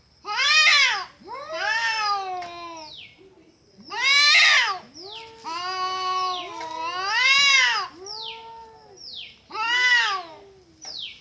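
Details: Cats in a fight making horrible sounds: loud arched yowls rising and falling in bursts about every two to three seconds, with quieter falling mews between them.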